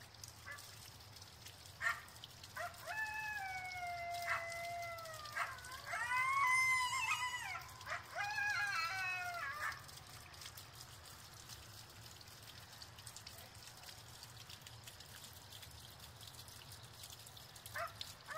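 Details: Several coyotes at Clow Airport, Bolingbrook, howl together in long, wavering notes that break into high yips and yodels.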